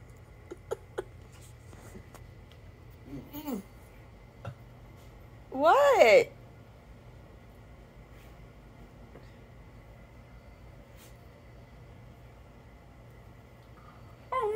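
A Miniature Schnauzer gives a brief, wavering, crying howl between a person's puzzled questions.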